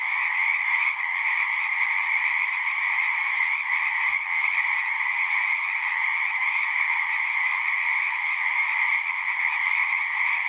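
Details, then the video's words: Dense chorus of singing frogs, a steady unbroken mass of overlapping trilled calls in two bright bands, one middle-pitched and one higher, holding an even loudness for the whole stretch with no other sounds. "One hour of singing frogs."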